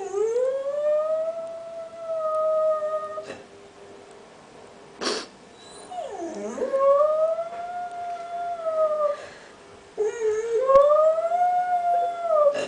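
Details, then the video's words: Dog howling: long sustained tonal howls that rise and hold steady, several drawn-out notes separated by short pauses, with a dipping glide into one howl and a sharp click between phrases; a person speaks briefly afterwards. "Otello Howling"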